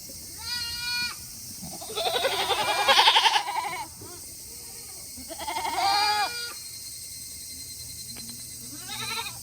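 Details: Tokara goats on a Japanese farm in Himi on a hot 8 August 2021, calling after finishing their feed early because they want to return to their shed; several wavering, harmonic bleats, some long and loud, others short, with quiet pauses between.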